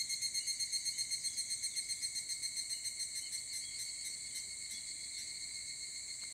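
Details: Early-morning higurashi cicadas at 4 am on a cool morning: a high, ringing, rapidly pulsed song at about four beats a second, gradually smoothing into a continuous shrill tone against a steady insect chorus.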